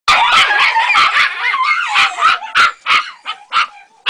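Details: Ega, a three-month-old Jagdterrier puppy, on her first encounter with a rat, gives a rapid burst of high, sharp yapping barks, about three per second, with some whiny tonal squeals mixed in, in a loud, close recording.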